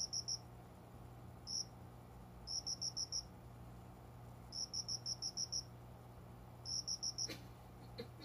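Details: Indoor cricket by a window-side plant corner at dawn, around five in the morning in summer, giving high ringing chirps in bursts of two to five pulses, with a single sharp click late on and a faint low hum.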